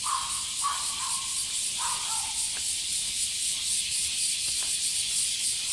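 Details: A loud cicada chorus heard while walking Rin, a female Border Collie: a high, dense buzzing wash with gentle pulsing, overlaid by lower whistled bird notes in the first half.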